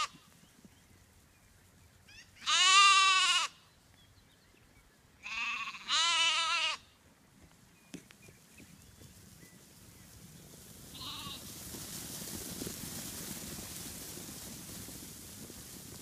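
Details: Black Welsh Mountain sheep on fresh grass, ewes heading off to graze and lambs playing; two loud, tremulous bleats about three seconds apart, a brief faint call later, then a steady rising rustle of wind or movement.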